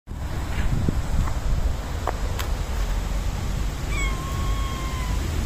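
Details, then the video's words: A young white and black cat meowing for attention while rolling on the ground, one of Japan's community cats; a single drawn-out, slightly falling meow near the end over steady low outdoor rumble, with faint earlier sounds. "The Young White and Black Cat Meows for Attention"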